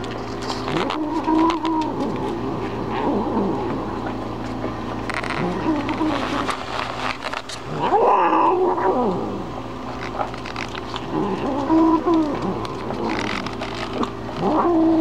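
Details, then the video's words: Momma Kitty, a mother cat eating, utters scattered low warbling growl-yowls toward nearby dogs, short wavering bouts spaced several seconds apart, with a person's voice and household noise around them. "Cat talking to Dogs"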